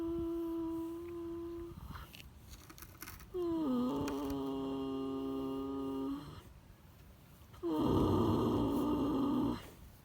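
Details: A sleeping horse snores: three long, droning, buzzy breaths, each lasting about two seconds and coming roughly every four seconds, with quiet gaps between them. The sound seems to come from a small indoor space.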